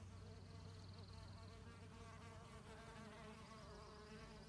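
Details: Female mason bees digging mud for nest building produce a dense, quivering buzz with rippling overtones, a brief high trilling tone near the start.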